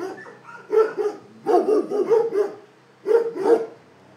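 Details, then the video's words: Dog barking in three quick bursts of two to three sharp barks each, about eight barks in all, with short pauses between the bursts and no other sounds. "Szczekanie psów"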